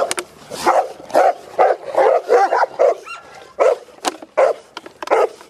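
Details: Cane Corso from a breeding kennel where dogs are raised in a family setting, giving a rapid run of deep, loud barks about twice a second, with short pauses between bursts.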